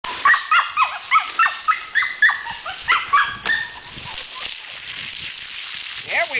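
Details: Female dog being given a bath, letting out about a dozen short, high whimpering yelps roughly every quarter second for three seconds. They then fade into splashing and running-water noise.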